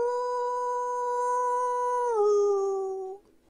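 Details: A gray wolf (Canis lupus) gives a long, steady howl that holds one pitch, then slides lower before fading.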